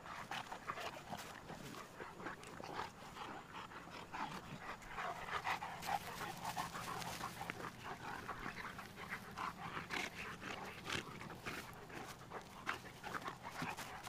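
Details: Tucker and Nessa, two Cane Corsos from Numenor Kennels, playing; steady fast panting carries through, with rough rustling and scuffling as the dogs move around.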